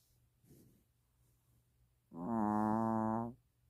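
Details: Mina, a sleeping long-haired Chihuahua puppy, snoring: a faint soft breath, then one sustained, steady, buzzy tonal snore lasting just over a second in a quiet room.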